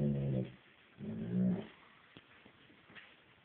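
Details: Dog, from a recording comparing a Bloodhound and a German Shepherd, giving two low, droning growl-like vocalizations, each about half a second long, followed by quiet background rustling.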